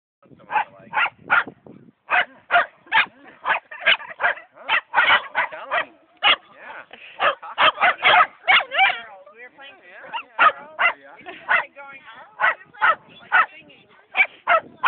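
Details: Two Shetland sheepdog littermates, Sammy Blue and Dobby, meeting happily at a dog park; sharp high-pitched barks fire in rapid, uneven bursts of about two to three per second, with a brief warbling whine-like stretch midway.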